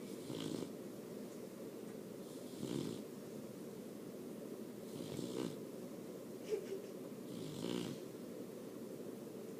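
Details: A sleeping puppy snores in a steady rhythm, each soft rasping breath coming about every two and a half seconds. Four or five snores are heard over a low, even room hum.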